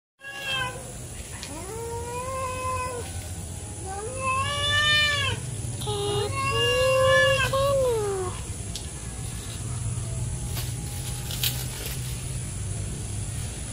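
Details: Angry female domestic cat, mother of three kittens, chasing off another cat that approached; drawn-out wavering yowls rising and falling, three long cries between one and eight seconds over a steady low hum and faint background noise.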